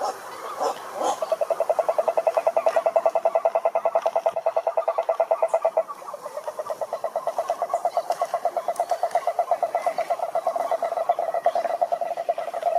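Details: Several frogs calling in a pond: a dense, fast, regularly pulsed croaking trill, mid-pitched and continuous across the recording, with a brief dip near the middle and a few scattered higher calls above.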